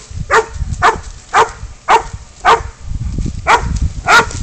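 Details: Spud, a pid dog, baying up a goat in a catch-and-release chase: six loud, rough barks spaced about half a second apart over low rumbling background noise.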